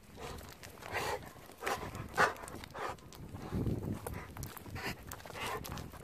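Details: Golden Retriever panting in a car on the way home: rough, breathy huffs repeated roughly every half second, with a person's voice cutting in at times.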